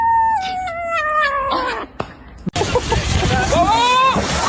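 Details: A pet cat in a funny-cat compilation gives one long, drawn-out meow that slides downward and fades, followed after a brief pause by a shorter arched meow over a loud noisy background with voices.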